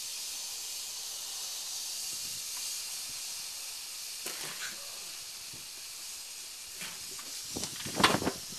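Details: Northern Pacific rattlesnake (Crotalus oreganus) giving a steady, high, hissing buzz that runs unbroken through the whole recording, with a few soft knocks and brief rustling bursts near the middle and end.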